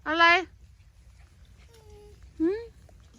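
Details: Pomeranian out for a walk during days of nonstop rain. It gives one loud, harmonic-rich yelping bark, then a second shorter, rising bark about two seconds later. Quiet talking is heard between them.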